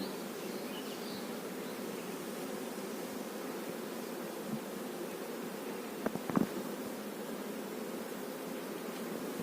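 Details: Honey bees humming quietly around a kept hive with its queen bee: a soft, level drone throughout, interrupted near six seconds by a couple of sharp taps.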